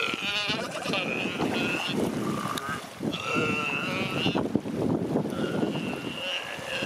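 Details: Galápagos sea lion pup and its mother calling as they greet each other on the beach at Punta Carola, San Cristóbal, Galápagos, in January 2020; wavering, bleating harmonic calls in long overlapping bouts, three main calls, over a rough background hiss.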